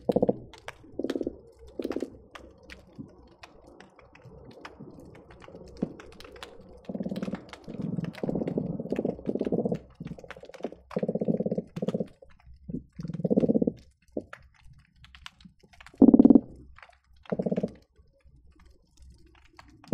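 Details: Croakers heard by hydrophone beneath the Marina Drive bridge between Long Beach and Seal Beach on a busy day: repeated low, buzzy pulsed grunts in bursts of about a second, some overlapping, amid constant sharp underwater clicking.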